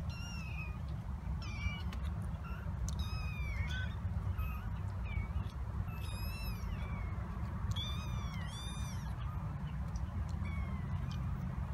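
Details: Seven kittens, 26 days old, raised by black mother cat Tituba with a fostered orphan, exploring the kitten coop at Carolina Kitten Ranch on November 7, 2017; repeated short high mews, about a dozen, overlapping callers, over low rumbling background.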